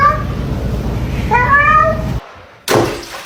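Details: Cat indoors uttering two meows, the second longer and rising, over a low hum, followed by a sharp knock like a door.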